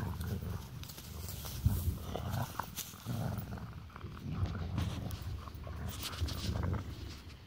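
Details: Two golden retrievers wrestling in play, one biting the other's ear: a steady run of low rumbling growls in uneven bursts, with a person talking to the dogs.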